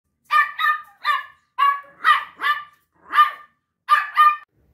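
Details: A Pinscher gives a quick run of high, sharp barks, often in pairs with short gaps between, during a mating with a female Pinscher.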